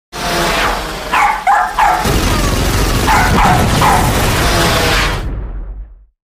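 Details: Daisy, a Jack Russell Terrier, barking in quick sharp yaps, two clusters of about three barks each, set against a loud, continuous broadband background that fills the whole recording.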